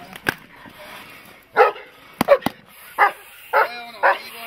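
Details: Dog in protection training, barking in short bursts, single and doubled, roughly once a second, with sharp clicks or impacts between barks.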